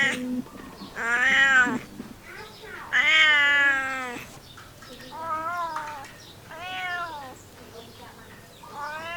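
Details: Domestic cat meowing: two loud, long harmonic meows with rising then falling pitch, followed by three softer, shorter meows at intervals of about one and a half seconds, with faint background noise.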